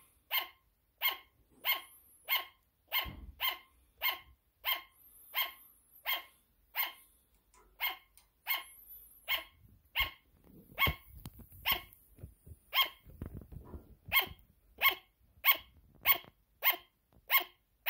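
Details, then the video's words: A sugar glider barks nonstop in a rhythmic series of high, nasal yaps, roughly one every half second, with a short break near nine seconds and scattered thumps and rustles in between. "Sugar glider barking"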